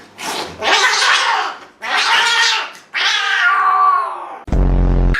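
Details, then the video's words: Domestic cat at the vet giving loud, drawn-out yowling cries, three long wailing calls of about a second each, the last sliding downward, followed by a brief burst of music at the end. "Cats At Vet"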